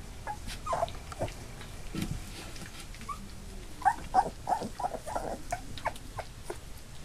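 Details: Eight Labrador Retriever puppies, two days short of three weeks old, newly walking with eyes open: soft, scattered short whimpers and squeaks in short bursts, several brief tonal yelps, with faint rustling indoors.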